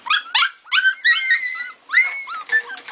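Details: Pit bull and Labrador puppies crying together, drawn-out whining yelps that rise then slide down, several voices overlapping with brief pauses between bursts.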